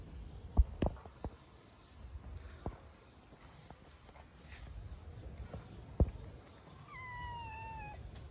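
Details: Hungry stray cats living on the street: scattered taps and knocks, then a single drawn-out meow near the end that slides slowly downward in pitch, over a low steady background hum.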